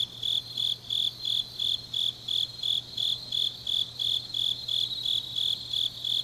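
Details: In Changnyeong, Korea, grass insects sing on a deep autumn night, their piercing high chirps beating steadily about three times per second above a faint low background hum.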